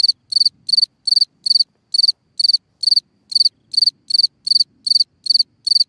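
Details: Night chirping of a singing cricket in a hole in the ground, a crisp high-pitched pulse repeated evenly roughly three times a second against near silence.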